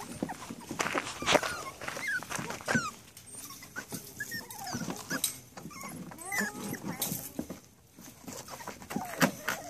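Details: Seven-and-a-half-week-old Rat Terrier puppies give thin, curving whines and short squeaks, several pups calling over one another amid rustling and tapping, with occasional human voice in the background.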